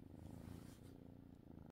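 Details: Sleepy house cat Robert purring on the morning of Sunday, August 4th, shortly before his morning medications; a low, continuous pulsed rumble under a layer of steady background hiss.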